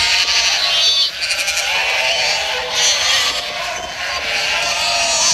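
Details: White sheep bleating in overlapping, wavering, high-pitched calls that run almost without pause through the clip, rising and falling in strength, with faint background noise.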